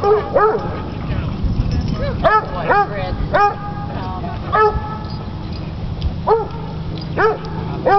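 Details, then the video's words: Coonhound at a dog park, dominating other dogs, giving short sharp barks in irregular bursts, some doubled, with human voices and background chatter underneath. "Coonhound barking at dog park"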